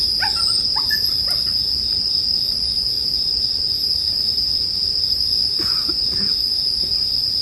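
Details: Sleep-music recording of bell crickets beside a crackling bonfire: an unbroken high-pitched ringing trill, with a few brief chirping notes at the start and near the end over soft fire noise.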